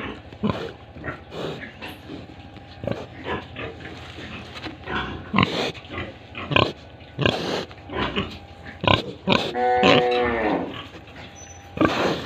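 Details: Pigs at a farm in Tripura grunt in quick irregular bursts, then one drawn-out, tonal squeal wavers near the end, over a continuous low hum.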